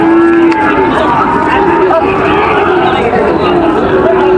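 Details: Lowing from Sahiwal bulls at a Joypurhat cattle market, 23/6/25. A sustained, tonal moo sounds at the start and continues amid loud bargaining speech and the babble of a market crowd.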